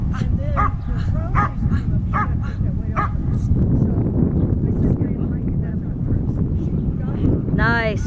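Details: Slash, a Standard Poodle, at Schutzhund bite work: four sharp barks about a second apart in the first three seconds, then heavy low rumbling noise, a man's voice and a brief rising cry near the end.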